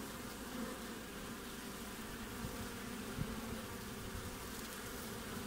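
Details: Hive-front activity of honey bees in midwinter in Australia, recorded on 20 June: continuous low buzzing drone, a few brief louder passes of bees, with a faint click near the middle.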